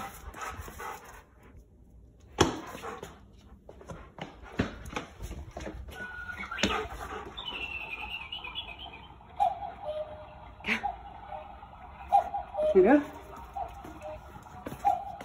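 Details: Giant Schnauzer named Dexter, indoors, done playing because he is not let out the side door after a game; thin drawn-out whining tones rise and fall in the second half, amid scattered knocks and thuds.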